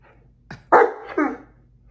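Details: Great Dane indoors, bickering with a cat over a favorite chair; three short harmonic bark-grumbles in quick succession, the last two louder and more drawn out.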